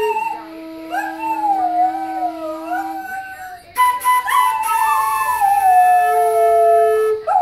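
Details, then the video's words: Domestic whippet singing with a flute in a duet of a Beethoven piece; long, quavering howls glide up and down around held flute tones, growing louder in the second half. "Whippet/flute duet"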